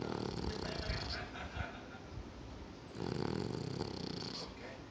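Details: A sleeping Bichon Frise snoring: two long, rough, rasping breaths, one in the first second and another from about three to four and a half seconds, with quieter noisy breathing between them.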